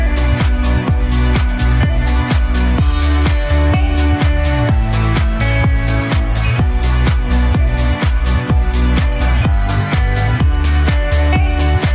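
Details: Loud electronic dance music with a steady pounding beat and bright synth layers fills the whole recording.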